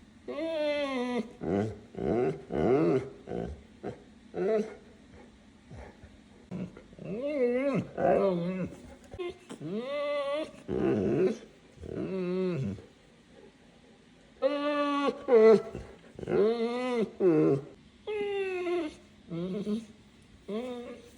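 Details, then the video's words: Neapolitan Mastiff at dinner time giving a long run of drawn-out, arching moans and whiny grumbles in bursts of one to two seconds with short pauses, some rising then falling, with a person talking now and then. "how my Neapolitan Mastiff acts when it’s time for dinner"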